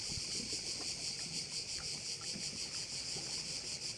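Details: Short stretch of crickets calling at a bay on Korčula: an intense shrill buzz beating in rapid regular pulses, roughly three per second, over a quiet low background.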